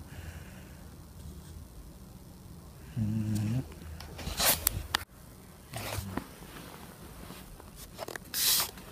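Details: Sleeping dog snoring indoors: a low, buzzy, rasping breath lasting about half a second, then a softer one a few seconds later, with rustling and sharp clicking noises between them.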